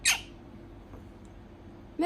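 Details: A pet prairie dog, very attached to its owner and gnawing her finger on her lap, gives two sharp, squeaky protest calls, one at the start and one at the end, when she tries to carry it to bed.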